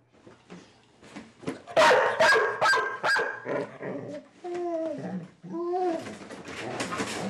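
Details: Dog with separation anxiety, vocalizing, howling and growling when left alone: a run of sharp, loud barks in the middle, then drawn-out tonal whining howls that rise and fall, ending in rough noisy vocalizing.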